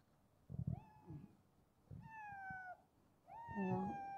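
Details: A ginger street cat at midnight feeding gives three drawn-out meows, each sliding up then gently falling, with thumps and a person talking.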